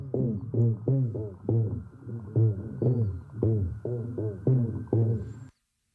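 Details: Black drum (Pogonias cromis) drumming during mating in Tampa Bay, made by flexing muscles against the swim bladder: deep, muffled thumps about twice a second, like bass through a wall.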